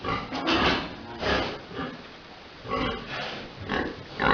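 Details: Big boar mating a sow at a pig farm: harsh, noisy grunts in short bursts, about two each second at first, then a quiet gap before further rasping grunts.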